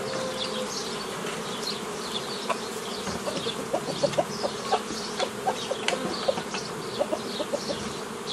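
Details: Worker honey bees from a forager swarm being split into small nucleus colonies, old-style method, May 2018. A dense, even droning hum fills the clip, with soft repeated taps in the middle and scattered twittering birds in the background.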